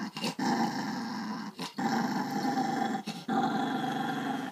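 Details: Pet dog growling over a pork trotter snack indoors: three long, low rumbling growls, each lasting over a second, separated by brief pauses, with a steady throaty buzz and no other clear sounds.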